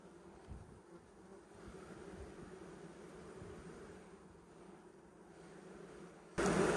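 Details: Western honey bee colony whose queen is not laying, having failed or been replaced, with no new brood: a low, steady droning hum that swells slightly midway, ending in a sudden loud burst of noise.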